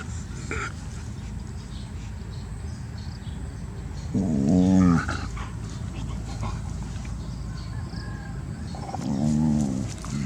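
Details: A young pet dog kept in the home lets out two drawn-out, low, harmonic whining growls, one near the middle and a shorter one at the end, against a steady low background hum.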